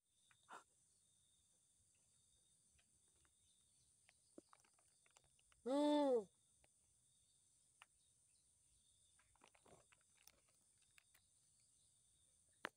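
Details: A pet southern pig-tailed macaque gives one loud, tonal, slightly arched call to reach its companion.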